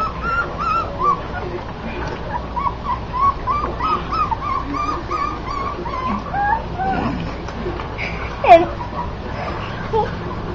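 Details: Several puppies whimper and squeal, a steady run of short high rising and falling whines, many overlapping, with a sharper yelp near the end and a person talking quietly in the background.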